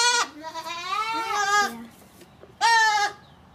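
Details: A goat gives a long, wavering, nasal bleat, then a shorter second bleat after a pause.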